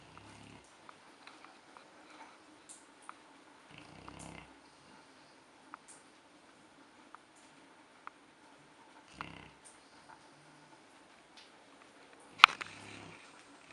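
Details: Sleeping dog snoring: soft, breathy, rasping snores recurring every few seconds over a faint steady background hum, with scattered small clicks and one sharp louder knock near the end.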